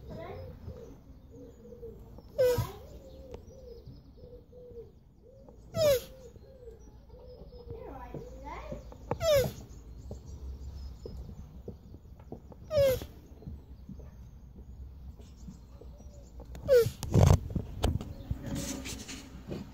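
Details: Oscar, a male Hermann's tortoise, mating with a shoe: short squeaking calls recur every three to four seconds, each a brief falling whine with a thud of movement, over a steady hum and faint voices in the background.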